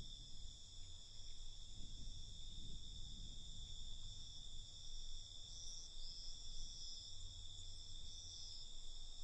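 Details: Nighttime cricket chorus: unbroken high, thin trilling from many insects, with a few brief brighter wavering notes partway through and a steady low background murmur.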